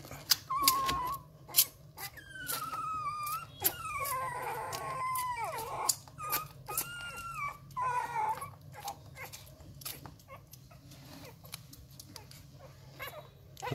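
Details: Rottweiler puppies aged 11 days, frantic with hunger before feeding, sucking at the kennel owner's fingers; a run of wavering, sliding whines in the first eight seconds amid sharp wet clicks and smacks that continue throughout.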